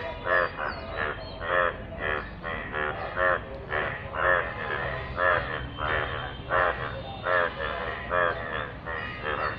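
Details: Yellow frogs calling from rainwater: loud, reedy croaks stand out roughly twice a second over a continuous background chorus of more frogs.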